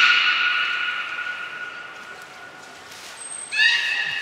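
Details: Belugas Nana, Niko and Mirai during a training session at Port of Nagoya Public Aquarium on 23 February 2023. A long, steady, harmonic-rich tonal call fades after three seconds. A brief high whistle tone follows, then a second bright, stacked call begins abruptly.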